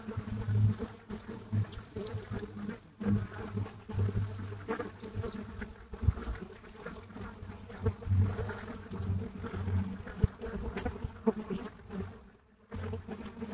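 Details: Many Buckfast bees busy at a hive entrance in Brittany, France, recorded live: continuous low buzzing hum with stacked tones, brief louder passes of single bees near the recorder, and a short lull near the end.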